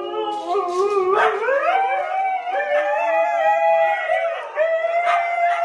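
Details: Husky puppies give a continuous, loud, wavering howl, sliding upward and holding steady with overlapping harmonic voices and brief yips, filling the whole clip.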